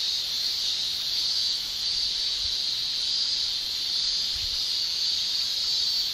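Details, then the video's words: Summer chorus of male Japanese cicadas in Japan, their tymbal shrilling held as a steady, unbroken high-pitched hiss, with two faint low thumps in the background. "Japan Summer Cicada Shrilling"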